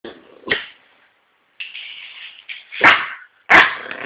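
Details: Yorkshire Terrier making a few sharp, abrupt barks separated by short pauses, with a lower, steadier whining tone in between.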